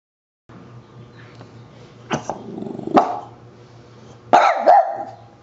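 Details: French Bulldog indoors barking at a running handheld dust buster: a few sharp, rough barks spaced a second or more apart over a steady low motor hum.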